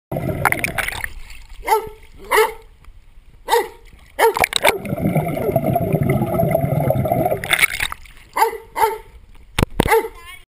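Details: A Rhodesian Ridgeback playing around a pool gives short, gruff barks singly and in quick pairs amid loud water splashing.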